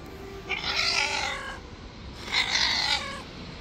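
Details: Wild, untamed white street cat, angry and refusing to be tamed, gives two drawn-out harmonic yowls about two seconds apart, each lasting roughly a second, over steady low outdoor background noise.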